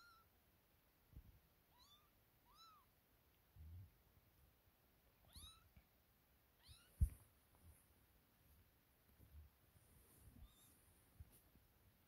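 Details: Kittens just woken up and playing together, linked to a cat named Sofia. High, arched kitten meows with bright overtones come in a loose series, a few in quick pairs, over soft thuds and low rustling indoors.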